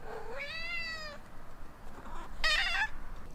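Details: Female Ragdoll cat with blue point bicolor coat, meowing at home: one clear, rising, drawn-out meow lasting under a second, a short pause, then a second, higher, shorter meow.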